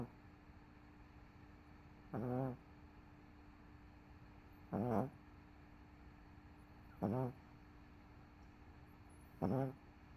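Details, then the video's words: Sleeping on the couch after a rough day with CoCo nearby, MoMo the dog gives four evenly spaced, buzzy snores roughly every two and a half seconds over quiet indoor hum. "Dog Snoring"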